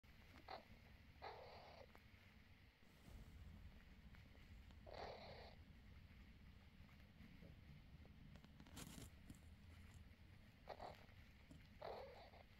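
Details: A mother cat with her kittens purrs low and steadily in a continuous rumbling pulse. Several short soft rustling bursts are mixed in, and the recording is quiet and close.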